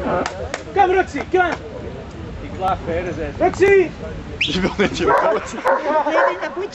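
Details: Rottweiler named Roxy at the waterworks. A few sharp barks come close together early on, then another burst midway. A person keeps calling "come" to the dog throughout.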